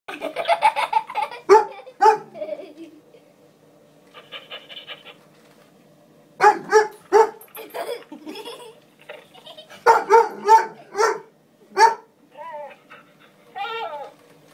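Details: Ronin, a 12-month-old Hungarian Vizsla, meeting the dog Biscuit for the first time indoors; sharp barks come in bursts with pauses, a short whine near the end, and people laughing and talking in between.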